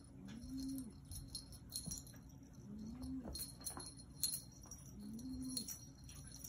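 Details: Yoda, a black Maine Coon cat, talking in three short, low, tonal calls spaced about two seconds apart, each rising slightly then falling, with light jingling and clinking in the background.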